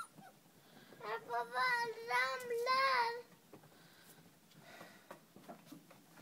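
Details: Five-week-old puppies: one long, wavering, tonal whine held for about two seconds with a slight rise and fall, followed by quieter shuffling, soft clicks and faint background voices.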